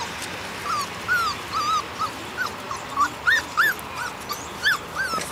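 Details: Four-week-old Portuguese Water Dog puppies on their first time outside give thin, high whimpering yips in a quick, uneven series of short rising-falling notes, over steady background hiss and a person speaking.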